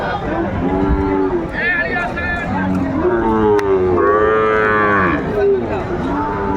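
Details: Lowing at a market selling Sahiwal bull calves, 28 December 2024, with a buyer from Gazipur: several loud, harmonic moos rising and falling, overlapping one another, with a busy crowd murmuring throughout.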